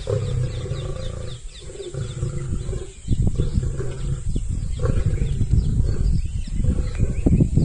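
Lions clash with deep, rumbling roars and harsh snarls during a fight.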